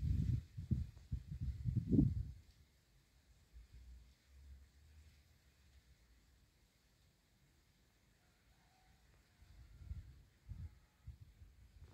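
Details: Low muffled thumps and rumbling handling noise, with long quiet stretches and no clear animal voice. Bursts of dull knocking open and close the recording, with near silence between.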